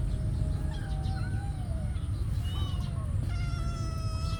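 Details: Cats fighting over food give drawn-out, harmonic meows that glide up and down, one after another, over a constant heavy low rumble of background noise.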